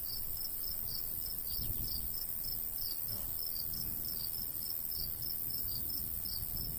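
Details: Crickets chirping in summer countryside beside a golden wheat field with a light breeze: steady, evenly spaced high chirps, roughly three per second, over a continuous shrill high hiss and a soft low rumble of wind.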